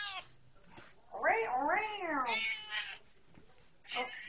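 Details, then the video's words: Pet cat talking when its owner comes home: a drawn-out wavering meow that rises and falls, then shorter meows, with the owner chatting back between calls. "talking when I come Home"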